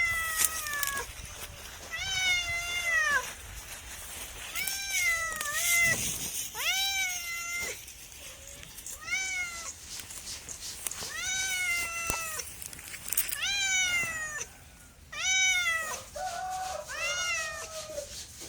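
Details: Domestic cat meowing again and again, about a dozen clear harmonic meows, each sliding downward at its end, coming every second or so, with some clicks and light noise behind.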